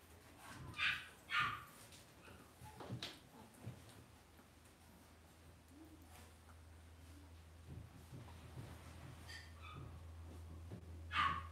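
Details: Indoor pen holding young Cavalier King Charles Spaniel puppies raised in a home. A few sharp, high yelps come near the start and once at the end. A steady low electrical hum and soft shuffling fill the quieter middle.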